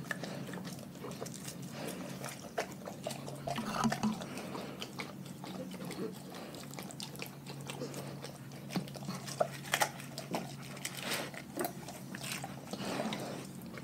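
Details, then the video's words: Pack of dogs eating a raw food diet, with wet crunching and biting noises in irregular bursts and brief louder crunches near the end, over a low steady hum. "Dogs Eating Raw Food"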